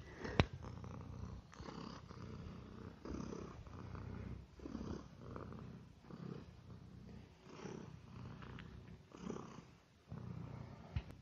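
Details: Domestic cat, a tolerant male house guest living among dogs and young children, purring while eating indoors; a steady low rumbling purr with soft surges every second or so and faint chewing clicks.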